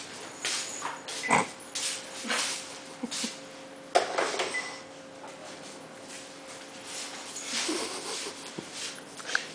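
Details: Two dogs, a poodle and a bobtail, play-attack a plush worm indoors. Short high whimpers and yips break through a steady scuffle of rustling and thumping from the play, over a faint continuous low hum.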